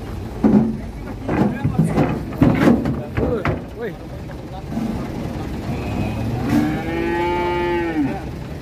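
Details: Rampaging young calf, likely restrained, gives a long, even, drawn-out moo near the end after a stretch of clattering knocks, handling noise and brief vocal bursts, with people around.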